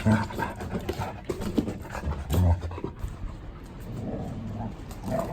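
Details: Indoor play among three large dogs: two male Samoyed–Chow Chow mixes born 2017 and a female blue merle Border Collie born 2019. Low, rough huffing and panting bursts come in uneven clusters, with people talking nearby.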